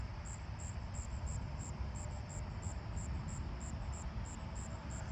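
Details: At night on 29 July in a front yard with many southern ground crickets, one singing fairly close gives a high, buzzy trill broken into quick, evenly spaced pulses.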